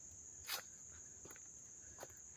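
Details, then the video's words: Crickets chirping up close at Dobbs Ferry, New York, on August 29, 2024: a thin, high, continuous ringing trill with no pauses, plus a few soft thuds like footsteps. "sounds of the crickets chirping"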